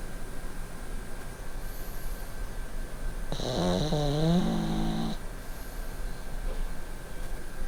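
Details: Sleeping pugs at night on a bed; low, continuous snoring rumble with a wavering, nasal whistling wheeze rising briefly in the middle before fading back to steady breathing.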